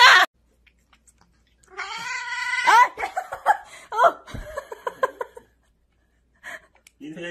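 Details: Domestic cat giving a drawn-out, harmonic yowl, followed by a run of short, rising, meow-like cries, with a person's voice and bursts of music around it.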